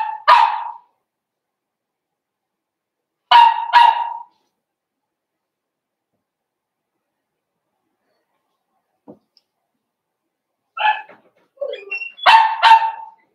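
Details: Puppy pen at Red Barn Cavaliers holding five blenheim Cavalier King Charles Spaniel puppies born at New Year's: doubled high barks, a long quiet stretch, then short yelps leading into another burst of barking.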